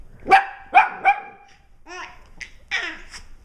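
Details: Puppies barking while an eight-month-old baby laughs at them: three sharp, quick barks within about a second, then softer babbling and squealing voices.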